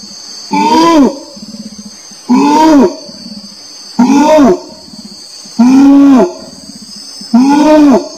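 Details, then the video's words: Repeated orangutan calls: five strong, voiced, arching notes about half a second long, evenly spaced near every one and a half seconds, with a steady shrill insect chorus and faint low pulsed murmurs in the gaps. "SUARA ORANG UTAN"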